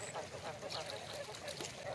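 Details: Many breeding frogs on a frog farm in Vietnam's Mekong Delta, in a pen of females about four months old just after feeding, give short, nasal, duck-like croaks overlapping in a dense chorus, with a faint voice behind.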